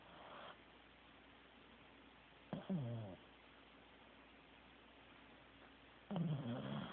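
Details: Teddy, a sleeping Corgi, snores in two separate breaths several seconds apart, each a short rattling, low buzzy rasp with a faint whistle in it, and quiet stillness between them.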